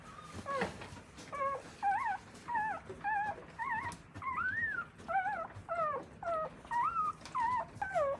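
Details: In Akita, Japan, a newborn Akita puppy cared for by its mother squeals about thirteen times in eight seconds, each cry a short, clear, bending whimper, some rising then dropping, in a quiet room.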